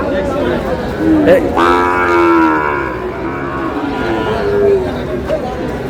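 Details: Sahiwal bull calves at a busy Bangladeshi cattle market, destined for Chittagong, 5 June: one strong, harmonically rich moo swelling and then fading over about a second and a half, with a brief softer low afterwards, under a constant hum of crowd voices.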